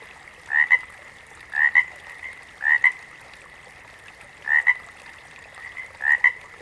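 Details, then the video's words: Five double-noted frog calls, each a quick rising chirp pair, arriving at uneven intervals with a longer pause midway, over a low steady hiss of background noise. "Frogs - Nature Sounds"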